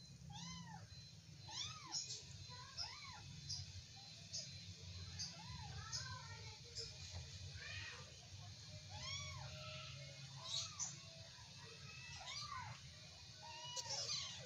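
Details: A long stretch of wrestling kittens is packed with dense, repeated squeaky meows, each a rising and falling arc, often in quick pairs or clusters, with faint rustling and a low hum beneath.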